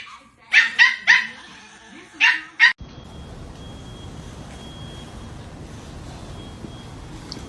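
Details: Dog caught in a funny moment: five sharp, high yelping barks in quick succession during the first three seconds, then only a steady broadband hiss with a faint thin whine.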